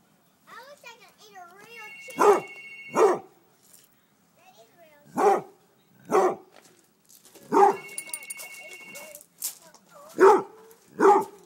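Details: A Basset Hound barks at hot grilled chicken thighs, seemingly trying to cool them. Short, gruff barks come in pairs, with whining, human chatter, and a steady electronic beep sounding twice.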